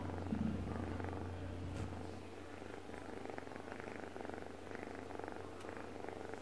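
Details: Domestic cat purring while asleep indoors, a soft continuous rumbling purr with a steady low hum underneath, fainter and less rhythmic than a close purr.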